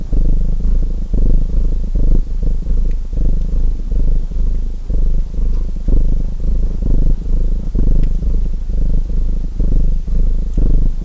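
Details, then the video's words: Steady low rumbling purr of a domestic cat, set against a crackling fireplace for relaxation, rising and falling in short breath cycles about twice per second, with occasional faint snaps from the fire. "Purring Cat Sounds"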